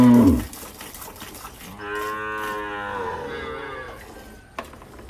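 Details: Dairy cows on a farm in El Salvador, milking cows said to give 15 to 20 bottles of milk, during a harsh season: a short thud, then one steady harmonic moo of about a second and a half, with faint background noise.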